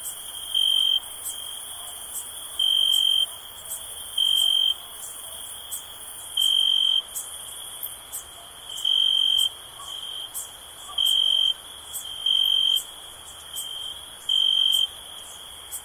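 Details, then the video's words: Cricket chirping for relaxation: eight loud, steady, high-pitched half-second trills repeat every one to two seconds over a constant high insect hum, with faint ticking clicks between them. "Soothing Cricket Sound for Relaxation"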